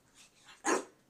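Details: Shih Tzu named Cooper during a training session indoors, giving a single sharp bark on the command "speak", preceded by faint softer sounds, with a person's voice issuing commands and praise around it.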